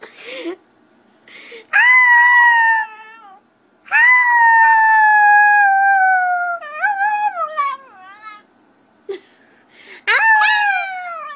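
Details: Puppies howling: long, slightly falling tonal howls with rich harmonics, each lasting one to three seconds, separated by short silences and a few brief yelps.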